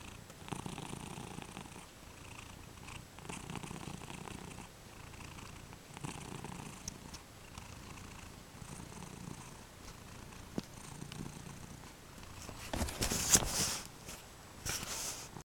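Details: Domestic cat lying indoors and purring steadily, a soft continuous rumbling with faint rhythmic pulses, ending with a burst of rustling noise near the end.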